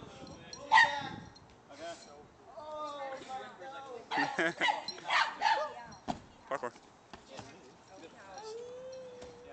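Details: Two-month-old Boxer puppy playing and pouncing on a person, giving a quick cluster of short, sharp yipping barks midway through, with people talking and laughing over and around them.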